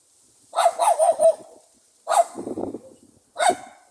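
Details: Pug dog letting out a quick run of four lively barks, a pause, then a bark trailing into a lower rough growl-like rumble, and a final short bark.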